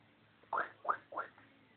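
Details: A female Chihuahua, excited and acting wild, lets out three short, sharp, mid-pitched barks spaced about a third of a second apart, each a quick bright burst, against a quiet indoor background.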